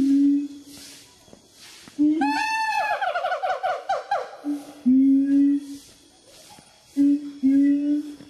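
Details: Wawa, a siamang, 'telling stories' indoors: short steady low hooting notes, then a quick run of barking notes that climb and fall in pitch, followed by more steady hoots, the first slightly rising.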